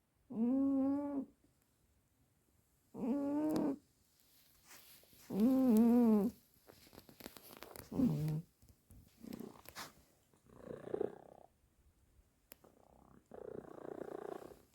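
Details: Juniper, a sleeping cat, snoring loudly indoors: droning, tonal, wavering snores about a second long, repeated roughly every two and a half seconds, giving way to softer, breathier rasps toward the end.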